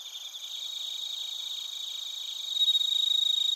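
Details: Chirping bell crickets and crickets, Narita, Chiba Prefecture, Japan, on a TASCAM Portacapture X8: a high pulsing trill that grows stronger partway through, with fast regular beats over a fainter chorus.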